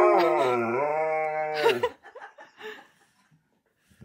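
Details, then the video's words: Husky at a birthday party howling: one sustained, harmonic howl dipping then leveling for about a second and a half, followed by quiet talk and room noise. "Husky Throws Birthday Party For His Best Friend! Sings Happy Bday to him!"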